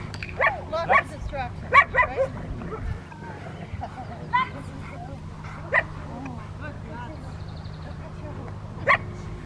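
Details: Rottweiler barking during a distraction exercise at the Victoria Rottweiler Club on May 2, 2021: a burst of several abrupt barks in the first two seconds, another mid-clip and one near the end, with voices throughout.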